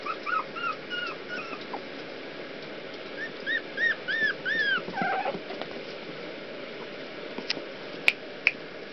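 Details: Puppies escaping from a pool whimper in clear, high, arched squeals, rising then falling, in quick bursts of three or four, with a steady background hiss and a few sharp clicks near the end.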